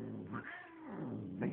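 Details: Domestic cat giving a short, soft meow that bends up and down, half masked by low room hum, with a man speaking quietly nearby.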